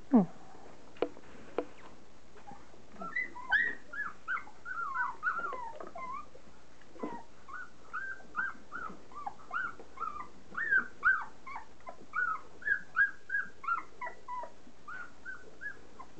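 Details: A litter of 3.5-week-old standard poodle puppies eating their first meal of softened kibble: a near-continuous chorus of short squeaky whines and yips, some bending up and down, with a few sharp clicks at the start.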